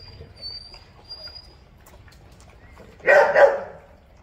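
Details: Feeding Doberman puppies: after several seconds of low, quiet background hum, one sudden pair of harsh, mid-pitched barks bursts out near the end.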